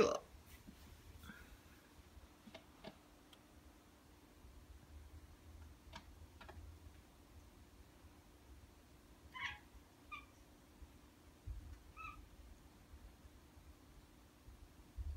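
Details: Ragdoll cats Ao and Aki, aged one year one month and ten months, come to greet their owner on waking on a slow morning indoors; a few short, soft meows sound in the latter half amid quiet rustling and light clicks.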